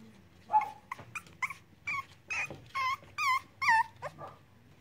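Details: Cavalier King Charles Spaniel puppies playing make a rapid run of high, whiny whimpers and yips. Several notes are drawn-out and wavering with a bending pitch, and they grow louder toward the end.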